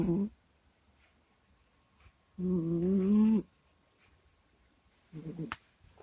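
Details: ['Kusya the cat, fast asleep, gives a low groaning snore of about a second with a hissing edge. A brief cut-off breath opens the passage and a shorter snuffle ends it.']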